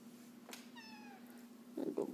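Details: Pet cat talking to its owner indoors as she works from home; one short falling meow with clear harmonics over a steady low hum, followed by a woman's voice speaking Spanish.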